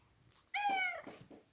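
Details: A giant Maine Coon cat meows while being affectionate, seeking attention from its owner: one clear, drawn-out, slightly falling meow lasting about half a second, followed by two soft, short chirps in a quiet setting.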